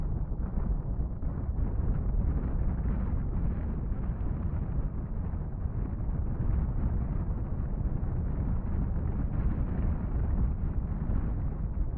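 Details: Steady low rumble of wind buffeting the microphone, with no animal calls heard.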